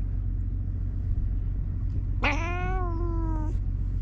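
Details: Karin, a ferocious cat in Japan, jealous of a black-and-white cat and kicking with its hind legs; one drawn-out meow of over a second, rising slightly then sagging, rich in overtones, above a steady low traffic rumble.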